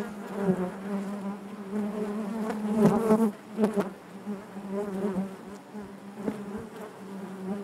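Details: Honey bees humming within the hive, a rich steady buzz with a strong low tone and bright overtones, peaking in a loud close-up whir a few seconds in before settling back.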